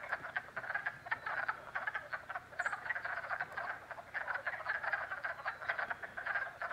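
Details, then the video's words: Pond frogs in Jackson, New York, calling in spring: pulsing bursts of raspy, clicking croaks from several animals, rising and falling in loudness roughly every second, with a single faint high chirp midway. "FROG POND CALLS"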